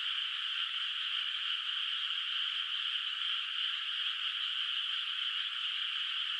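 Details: Frogs calling at night from a moonlit rice field not yet planted, heard at a distance: a dense, unbroken chorus of overlapping high-pitched trills forming a steady shimmering wall of sound, with no other noises.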